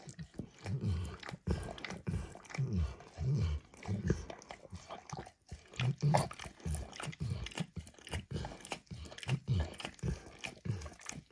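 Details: Enthusiastic licking by Max, a dog, on a bumpy orange mat topped with eggs and diluted peanut oil: a long run of sloppy, low smacking laps and tongue clicks in irregular quick succession, close-miked and quiet.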